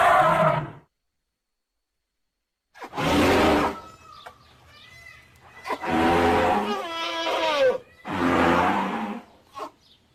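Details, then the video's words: Elephant giving a series of rough, roaring calls, short blasts spaced a second or two apart, some with wavering tonal bands, over a faint low hum between calls. "Elephant Sounds and elephant calls"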